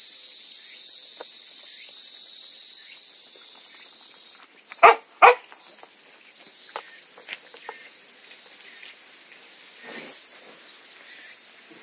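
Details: Two sharp, loud barks close together midway, from a household with puppies just started on water-soaked kibble as weaning food, after steady high insect hiss fades out; faint scattered knocks and rustles follow.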